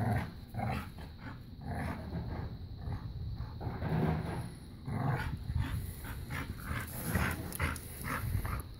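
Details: Continuous low rumbling growls and grunts while a puppy and a five-year-old black lab pit bull mix play tug of war and keep-away, with scuffling and rustling throughout.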